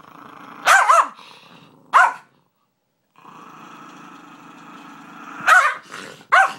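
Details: Bailey, a pet dog, mixes sharp barks with continuous low growling; two barks open the clip, a pause follows, then more growling ending in two further barks.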